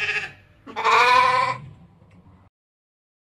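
A ram gives a single quavering, nasal bleat lasting about a second, rich in harmonics.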